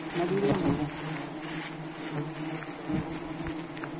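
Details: Honey bees at a honey gallery with bee nests in Depok, giving a steady, low droning buzz that holds for the whole stretch, with a faint brief voice-like sound near the start.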